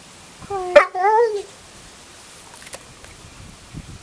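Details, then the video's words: Buster, a Staffordshire Bull Terrier crying on cue, lets out a wavering, warbling whine that rises and falls over about a second after a brief sharp yelp, followed by quiet with faint clicks. "Buster Staffy x Learning to cry on cue"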